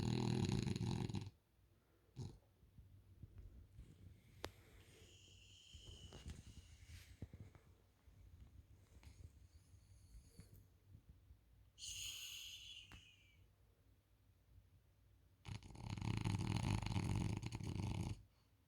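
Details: A sleeping French Bulldog on a couch gives a harsh, rumbling snore at the start and another near the end. Softer breathing fills the middle, with a brief high, whistling wheeze around the twelfth second.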